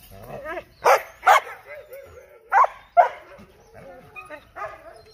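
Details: A handful of sharp dog barks, loud and separated by pauses, over quieter whining, yelping tones and a voice in the background.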